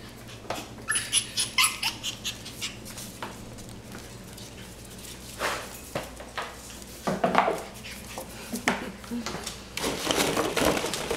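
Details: Cavalier King Charles Spaniel puppies, seven and a half weeks old, indoors; short high whimpering and squeaky yelps come in bursts, with clicks and scuffling and a voice speaking briefly.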